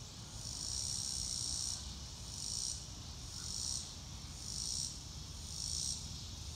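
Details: Outdoors on a sunny day, a cricket chorus swells in uneven high shimmering bursts, about five in a few seconds, against faint low-frequency background noise.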